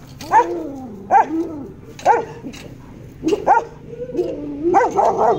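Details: Doberman puppies from a European show-quality bloodline with champion parents: a run of short, high yelping barks, some rising and falling, with pauses between them.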